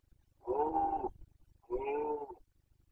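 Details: Carpathian stag in Bucovina during the 2021 rut, boncănit: two drawn-out, moaning roars with a gravelly, tonal quality, each under a second, separated by a short silence.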